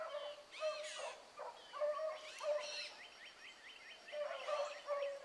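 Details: Morning run of the Blackcreek pups, with Ringo, Mingo and Choco up front and Boone and Dino behind. Many hound voices bay at once, loud bawling notes repeating in rapid overlapping bursts with quick choppy chop-mouth cries.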